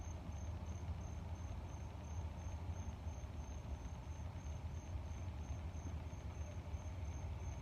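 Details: Cricket chirping in a fast, high, evenly pulsed trill that runs unbroken through the whole stretch, over heavy low rumbling air noise that dominates the background.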